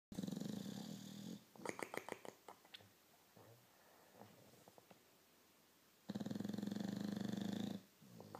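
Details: Sleeping Victorian Bulldog snoring indoors: two long, loud rasping snores with a deep buzzy drone, each over a second long, separated by quieter breathing with soft wet clicks and snuffles.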